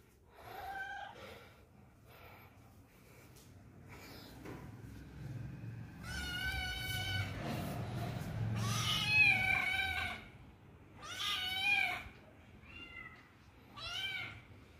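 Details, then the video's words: Searching for friends indoors, a lonely kitten mews again and again: soft short cries early on, then louder, long, rich harmonic wails around the middle and several brief meows toward the end. "cute kitten searching friends inside my home // innocent kitten feeling alone"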